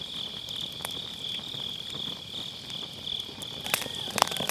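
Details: High, even insect trilling on an autumn night next to a round fire-pit campfire, recorded via Sennheiser MKE600 with low cut; the steady chirring runs throughout as firewood cracks and pops, louder near the end.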